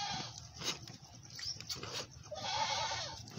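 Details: Goat at a farm, a mother nursing her large male kid, with a wavering bleat near the end over steady hiss, a few short bleats earlier, and a man speaking nearby.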